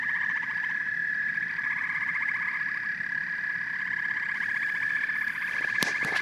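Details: Frogs and toads chorus with loud, rapidly pulsed trills layered over a steady high drone. Several sharp clicks break in near the close.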